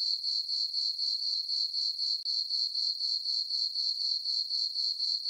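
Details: Night chorus of crickets in a meadow on a farm under a full moon, a bright, high ringing chirp repeated about four times a second, with one brief dropout midway.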